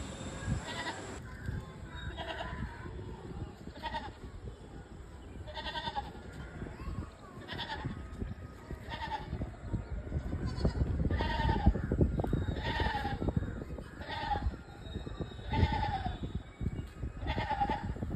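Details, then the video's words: A trapped goat bleating, with wavering, nasal bleats repeated about every one and a half seconds over a steady low rumbling background. "बेजुबान बकरी बेचारी आज फस गई"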